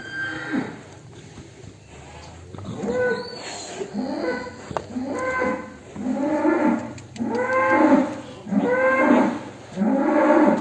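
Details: Agitated, raging cattle being let out of its pen: a run of four or five loud, drawn-out moos with rich harmonics, each swelling then falling, coming roughly every second, after softer lowing and faint background voices.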